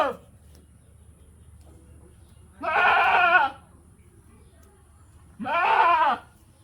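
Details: Goat bleating twice, each a wavering, nasal bleat of about a second, spaced roughly three seconds apart, with a faint steady high tone and quiet background between calls.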